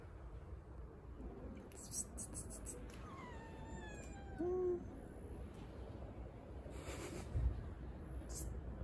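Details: A hungry, blind stray cat waits on the street for food. One drawn-out meow wavers and falls in pitch, faint against a steady low rumble of outdoor background noise, with a few brief clicks and knocks.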